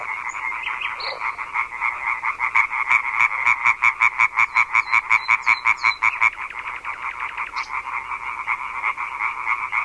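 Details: European tree frogs in a loud chorus, a field recording by Fernand Deroussen made to tell frogs and toads apart by voice: rapid rasping croaks repeated nearly three times a second, many frogs overlapping, with brief bird chirps above.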